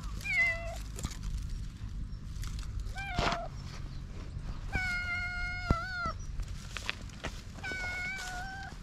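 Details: Hungry stray cats on a cat island, waiting before being fed, meow repeatedly: a wavering cry near the start, then long drawn-out harmonic meows at about three, five and eight seconds, over low background rumble and scattered clicks.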